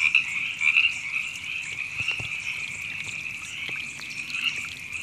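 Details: Frogs in Temescal Canyon Park, Los Angeles, California, recorded April 2017: a loud chirping croak opens, then an unbroken high trill chorus continues, with a few soft knocks and a faint trickling sound.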